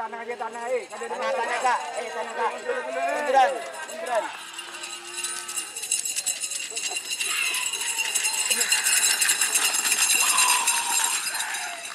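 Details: Cattle at a karapan sapi bull racing training session for the Galis and Blega districts at Banyubunih field, Bangkalan, Madura, East Java, Indonesia; wavering drawn-out moos in the first four seconds, then loud hissing crowd and outdoor noise.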